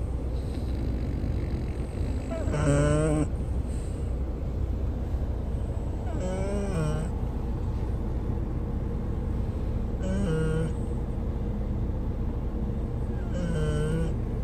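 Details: Travelling French bulldog snoring all the way on a journey over mountains and valleys. Harsh, wavering snores repeat about every four seconds above heavy, droning vehicle noise.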